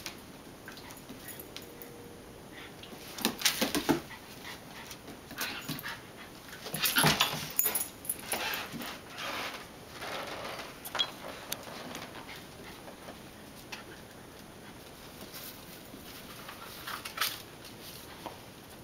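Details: Two pet dogs, Duffy and Teddy, playing indoors in a small room; scuffling bursts of rough growls and whimpery vocal noise come in clusters around the middle, with panting and thumps between quieter stretches.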